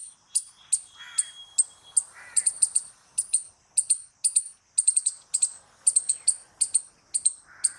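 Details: A squirrel calls loudly in a steady run of piercing, high, clipped chips, about two or three per second, some doubled, with occasional soft lower chirps behind.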